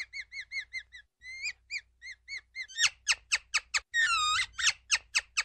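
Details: Ground squirrel starting with evenly spaced soft, high chirps, then shifting to louder, sharper descending chirps around one long, wavering whistle.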